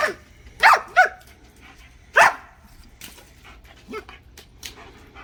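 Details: German Shepherd puppy at play barks sharply three times in quick succession, then adds one softer yelp, with quiet rustling between.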